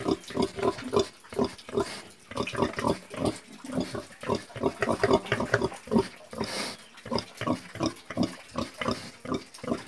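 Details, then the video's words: Pigs grunting steadily, a dense run of short, low, pulsing oinks repeated several times a second throughout, with overlapping animals and a brief hissing noise near the middle. "PIG SOUND - PIGS"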